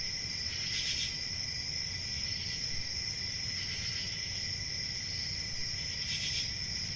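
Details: Crickets chirping in a steady, unbroken high-pitched trill, with brief brighter swells near one, four and six seconds over a constant low rumble.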